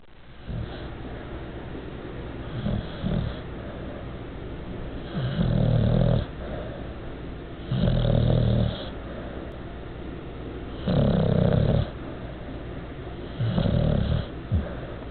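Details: Bruno, a fat bulldog, asleep indoors. Deep rumbling snores come in loud bursts about every three seconds, each a rough, low inhale lasting roughly a second, with quieter breathing between.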